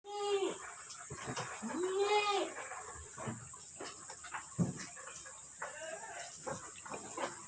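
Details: Etawa goats of the Kaligesing line, prospective bucks and breeding does, at a farm in Kaligesing, Purworejo, Central Java: two harmonic bleats rising then falling in the first seconds, followed by clattering knocks and background chatter under steady hiss.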